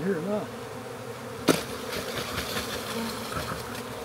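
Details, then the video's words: Honey bee swarm from a backyard, captured into a hive box with six frames: a man's brief voice opens, a sharp knock follows, then a continuous droning buzz of many bees. "Country Man Captures Massive Honey Bee Swarm!"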